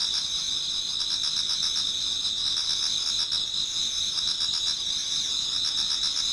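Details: Dense chorus of many autumn insects in a Japanese garden near dawn, shrill sustained trilling in two or three high layers, fast rhythmic pulsing, constant loudness for the whole stretch.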